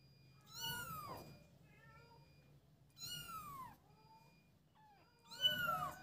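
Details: Playful kittens together utter three clear, arching meows spaced roughly two and a half seconds apart, each sweeping up then dropping. The last is loudest. Faint steady electronic tones and a low hum run throughout.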